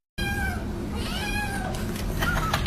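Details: House cat giving two drawn-out, slightly falling meows over a steady low background hum, followed by faint later sounds.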